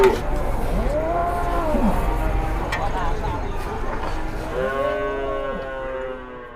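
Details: Big cow being loaded, needing four or five people to push it, giving several hoarse, swooping moos over engine rumble, fading toward the end.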